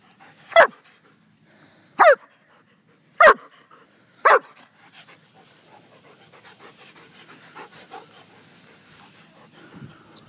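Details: German Shepherd kept as a pet, with four sharp separate barks spaced about a second apart in the first five seconds, followed by soft panting and faint household noise.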